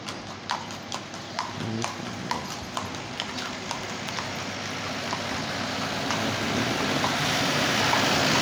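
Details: Horses pulling a carriage along a street in the early morning: steady clip-clop hoofbeats, crisp strikes about three per second, over a broad hiss that swells toward the end.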